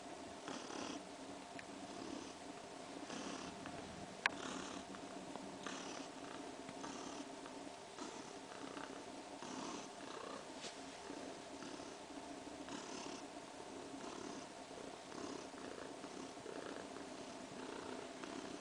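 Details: Kaewe, a cat about three weeks pregnant, purrs contentedly while sleeping more and kneading with her paws. The purr is a steady, soft rumble in rhythmic pulses about every second, with one sharp click near the start.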